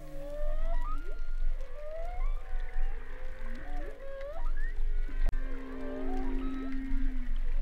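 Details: Humpback whale winter song with several other whales singing in the background: overlapping tonal whoops, rising and falling whistles and a long level moan, densely layered over a hissing sea background.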